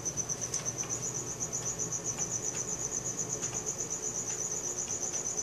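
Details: Crickets chirping at night, recorded with a Samsung Galaxy S4: rapid, even high pulses roughly four per second, forming a bright continuous trill over quiet low noise.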